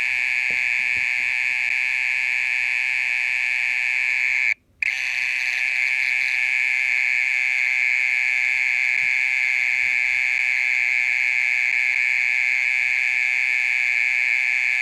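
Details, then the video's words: Night-time mole cricket keeping up its loud call for more than half an hour; a continuous shrill buzzing trill, rich in overtones, cut by one brief silence of under half a second, then resuming at the same level. "オケラの鳴き声 30分以上鳴いてる"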